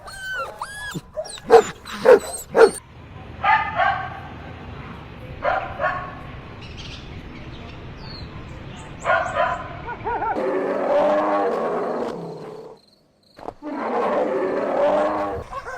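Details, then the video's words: Puppies on a lush green meadow while drinking milk give a quick run of high, sharp barks and yips at the start, then scattered softer yaps over a steady rumble and broad noisy bursts. "Cute Barking Sounds"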